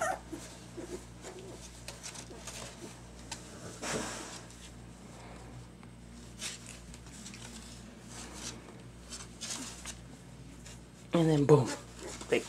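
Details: Indoor litter of two-week-old puppies just beginning to walk, some eyes opened; mostly quiet rustling and pattering, then near the end a short, loud, rising-and-falling puppy whine with a second brief squeak after it.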